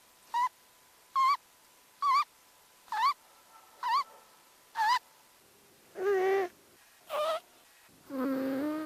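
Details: Cat's snoring, sped up fivefold and likened to farts, comes as a series of short squeaky rising chirps about once a second, ending in longer, lower, buzzier honks.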